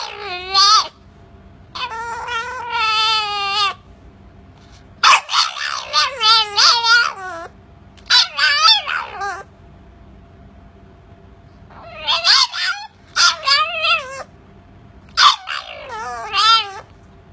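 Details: Little puppy trying to bark, producing high wavering whines and squeaky yips in short bursts of one to two seconds, repeated with brief pauses, sounding more like crying than barking.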